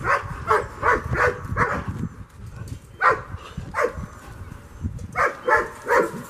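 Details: German Shepherd named Merlin barking while playing frisbee, recorded April 30, 2022; a quick run of harmonic barks opens, then single barks follow at irregular gaps, a rapid cluster returning near the end over low background rumble.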